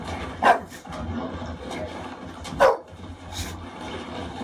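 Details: Khaleesi, an English Bulldog, watching the film The Revenant, turns fiercely protective when Leonardo DiCaprio appears in distress during a bear attack: two sharp barks, near the start and just past midway, over the film's low rumbling soundtrack.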